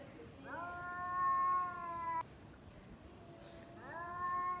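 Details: Domestic cats facing off before a fight, one long steady drawn-out yowl that cuts off abruptly, a short silence, then another rising wail begins.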